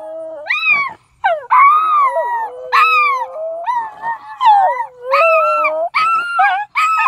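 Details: Several dogs in Mt. Carmel, Tennessee, howl at strange horn sounds in the sky; rapid overlapping howls rise and fall in pitch, broken by short yelps, almost continuous across the whole stretch.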